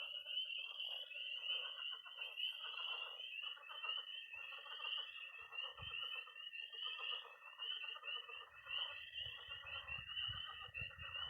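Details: Frogs and toads calling at night by a Missouri pond in early spring. Continuous high peeps ride over an unbroken high trill while lower croaking bursts repeat roughly once a second; a soft low rumble enters near the end.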